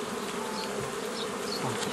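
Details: Honey bee colony humming continuously as nucleus colonies are made from a previously formed forager swarm; an even, dense drone with faint rising buzzes of individual bees flying past.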